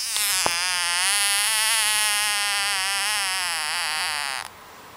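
A frog gives a long, steady, buzzy trill lasting about four seconds before stopping abruptly.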